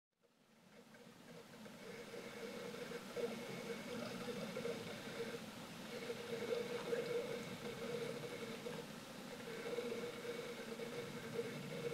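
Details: A steady engine hum with faint murmured voices, as from inside an idling vehicle, and no animal calls.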